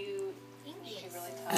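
A corgi 'talks back' with a wavering, speech-like grumble, pitch sliding up and down as it demands cheese.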